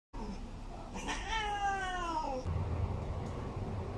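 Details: Cat giving one long, drawn-out meow that slides slightly downward over about a second and a half, followed by low background hum.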